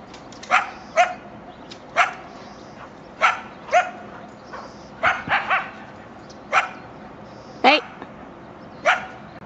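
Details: Coyotes of a family living along railroad tracks behind a backyard in Chatsworth, California, around 7am on 13 October 2024: rapid irregular high barks and yelps, some in quick pairs and triplets, one ending in a rising whine, over faint hum.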